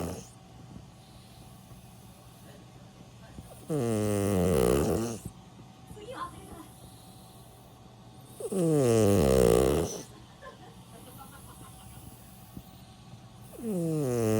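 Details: Milk (Miruku), a sleeping senior dog aged 16, snoring: three long rasping snores about every five seconds, each a broad harmonic rumble rising and falling, with quiet breathing between.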